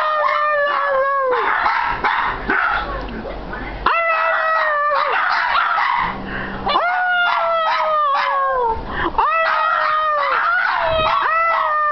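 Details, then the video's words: Two Shih Tzus howl in chorus indoors, repeated long falling howls of several seconds each with brief gaps, voices overlapping, faint yips and background murmur between phrases. "Shih Tzu singing sensation"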